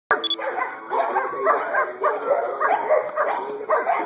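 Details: Two-year-old female black and tan German Shepherd, AKC registered, giving a run of rough, muffled barks in quick bursts about every half second to second, with a thin tinny background and no other clear animal sounds.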